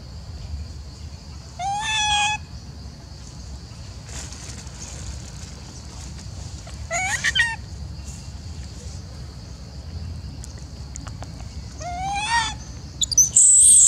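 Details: Macaque Elpida of the Maha Nokor group, seemingly jealous while old female Susie gets food, gives three short, rising harmonic coos spaced several seconds apart over steady background noise, with a shrill squeal at the end.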